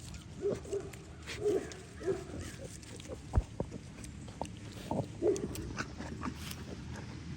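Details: Kunekune piglets from a healthy litter of eight, almost ready to be weaned, feeding beside their mother on a farm at breakfast time; short soft grunts come in loose clusters, with scattered clicks and knocks between them.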